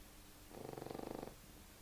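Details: Pug asleep, giving one fluttering, rattly snore of under a second with fast pulsing throughout, against near silence.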